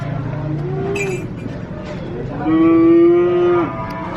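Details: A single cow moo, a steady harmonic-rich bellow lasting about a second after a quieter lowing rise, over low background rumble.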